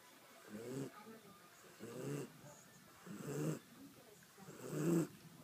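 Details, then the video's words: A sleeping dog snoring loudly, with rough, low rumbling snores that come in irregular bursts about once a second, some longer and louder than others, over a quiet background. "Dog Snoring LOUD"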